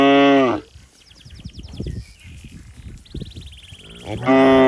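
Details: Cattle calling for its mother in a waterlogged rice field: one loud, rich moo opens and another closes a short stretch of quieter rustling and faint high chirps.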